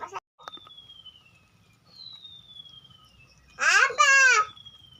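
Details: Kampung cat waiting to be fed rice mixed with Bolt pellets and fried egg: two strong, arching meows near the end, after a quiet stretch with a faint falling whistle-like tone and low room noise.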